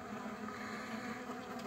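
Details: Honey bees building a colony from a single frame with a queen; a thick, even droning hum centred low, unbroken throughout, swelling slightly near the end.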